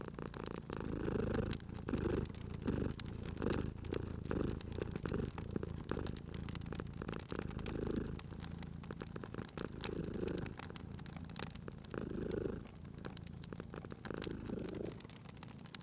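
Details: Cat purring beside a crackling fireplace while sleeping, a low continuous rumble with breath-paced swells partly buried under dense crackling and popping of the fire.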